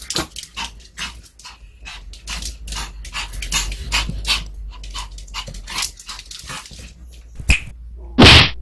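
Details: A female Pomeranian trying a microwave-warmed duck cartilage-bone treat for the first time crunches it with a rapid, irregular run of dry snaps and clicks, ending in one loud rustling burst.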